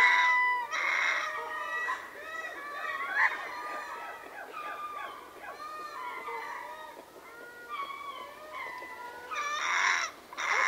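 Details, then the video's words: Ring-tailed lemur troop at Berenty, southern Madagascar, in a softer chorus stretch: scattered short yelps and wavering calls overlap loosely, building to a louder burst of massed cries toward the end. "Ring Tailed Lemur / MCU Chorus From A Troop"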